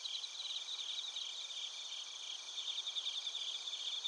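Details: Chorus of suzumushi bell crickets and other crickets in Narita, Chiba Prefecture, Japan: several high, continuous trilling bands with brief rapid pulsed chirps rising over them, a steady insect din without birds or people.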